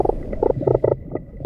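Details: A reef recording of what may be an orange-fin anemonefish (Amphiprion chrysopterus), or possibly a damselfish, giving a short series of low, throaty pulsed chirps underwater.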